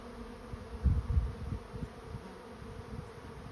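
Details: Swarming honey bees entering a trap give a continuous low hum. Short bursts of deep rumble rise and fall over it, peaking near the first second.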